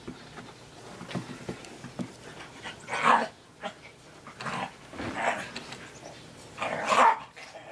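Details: Three-legged Australian Terrier puppy, Captain Jack "Sparrow", playing in the snow at Dunham Lake; two short, harsh bark-growl bursts about four seconds apart, with soft rustling and quieter snuffling between them.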